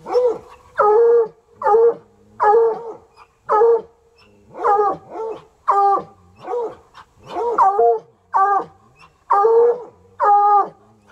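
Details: Two untrained coonhounds, Sunny and Hazard, keep up an insistent chorus in the country, hours into a session. Harmonic, arching barks and bays come about once a second, about thirteen in a row, with uneven spacing.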